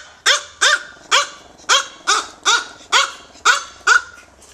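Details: Two tiny micro teacup poodles from American bloodlines, living in Hong Kong, giving nine sharp, high yapping barks, about one every half second, each with a quick rising-then-falling tone.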